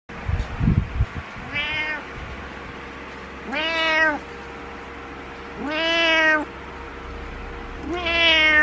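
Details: Butters, a male cat who jumps onto the bed each morning and meows continuously until his owner gets up, disliking being alone: four loud, drawn-out meows about two seconds apart, each rising then holding, after a brief rustle at the start.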